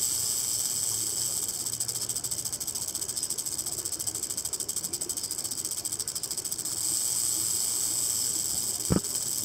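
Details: Rattlesnake stuck near a house beside the desert, rattling continuously: a sustained high, dry buzz with fine rapid pulsing through the middle, then a single sharp knock just before the end.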